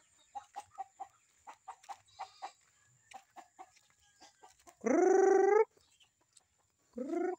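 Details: A Visayan goat, newly kept as a pet, gives a loud, nasal, slightly rising bleat lasting under a second, followed by a shorter second bleat, after a run of short, evenly repeated clucking calls.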